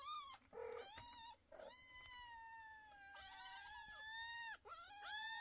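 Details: Loud kitten calls: a short cry, then a long, steady, drawn-out meow lasting several seconds at an even pitch, followed by another brief wavering cry, with small thumps indoors.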